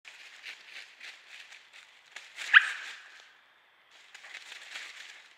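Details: A coyote caught on a trail camera in Indiana gives a single sharp, yelping bark to assert dominance, against a hissing outdoor background.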